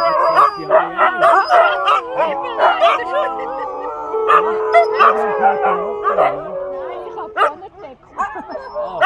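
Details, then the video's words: Several Siberian Husky sled dogs howl together in wavering, overlapping tones that rise and fall. "Sled dogs are singing :D Husky song"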